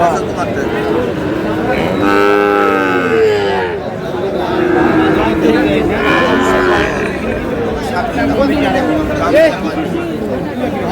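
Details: Sahiwal bull calves at a Munshiganj farmer's cattle market purchase; a loud, bending moo of nearly two seconds is followed by a second long low call, with bargaining voices and crowd noise throughout.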